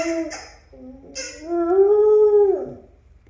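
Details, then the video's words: A dog howls at a recording of her own howling: short broken opening notes, then one long steady howl that swells and slides downward at the close. "She Howls At Her Own Howling Vid"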